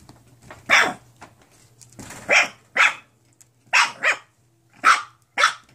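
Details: Nine-week-old mixed-breed foster puppies from one litter, indoors, giving short, high, sharp yaps, singly and in quick pairs, with pauses of about a second between bursts and a low steady hum underneath.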